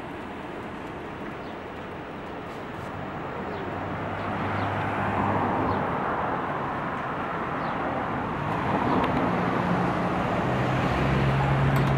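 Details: Continuous roadway rumble outdoors, growing slightly louder as vehicles pass, with a faint engine drone.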